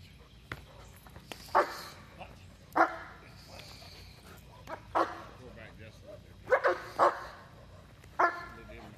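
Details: German Shepherd barking during protection training: six loud, harsh single barks spaced one to two seconds apart, some in quick pairs, with human speech between them.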